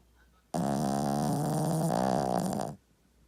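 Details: Dog snoring very loudly indoors: one long, steady, droning breath of about two seconds with a strong buzzy, tonal hum that starts and stops abruptly, set in a quiet small room.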